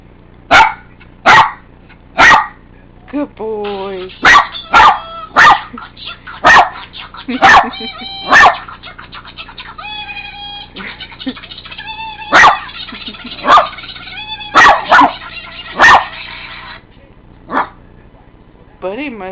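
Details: Indoor pet dog reacting to irritating ringtones with bursts of abrupt, punchy barks, some in quick pairs, while tinny electronic ringtone tones sweep and chirp underneath and a person talks softly.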